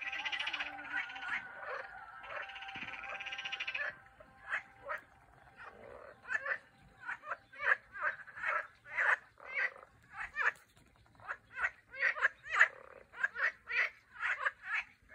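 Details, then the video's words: Turkish frogs calling: rapid pulsed trills for the first four seconds, then a long series of short, harsh croaks repeated roughly twice a second over a faint steady hum. "Turkish frogs"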